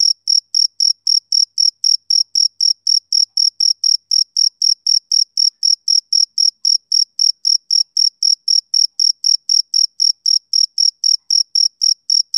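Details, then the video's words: Steady chirping of a male cricket, summer evening: bright, high trills pulsing roughly four per second without pause, evenly spaced and sustained across the stretch, background otherwise silent. "Cricket Chirping Sound Effect"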